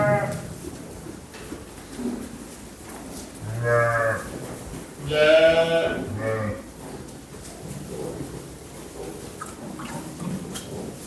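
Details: Young lambs bleating: a few wavering, harmonic-rich cries around seconds 3.5 to 6.5, the loudest a strained, quavering call, with quieter background noise between them.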